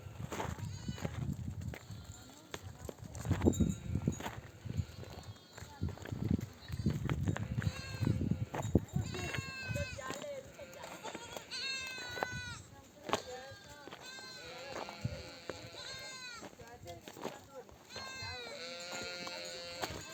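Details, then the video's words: Nomadic flock of sheep back from grazing in desert country with oak trees, mothers bleating to call their lambs to nurse; first half muffled low rumble and voices, then many wavering, quavering bleats overlapping from several animals. "The sound of mother sheep returning from the pasture to breastfeed her babies"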